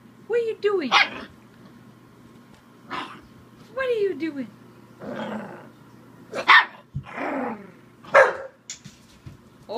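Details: Bull Terrier pup barking at the camera while playing, mixing sharp barks with falling whiny yelps and growly sounds, a person talking at times, low hum beneath.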